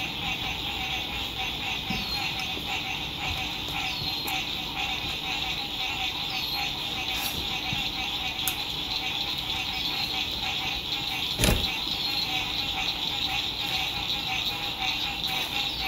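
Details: A dense chorus of frogs at a lakeside at sunset in spring 2021 gives a steady, high, trilling buzz with many overlapping pulsed voices, with some road noise.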